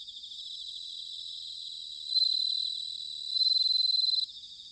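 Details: Bell cricket in autumn, recorded at Sanuki, Chiba, Japan, gives a bright high bell-like trill that swells twice into louder pulsed phrases before stopping abruptly, with a quieter cricket chorus continuing underneath.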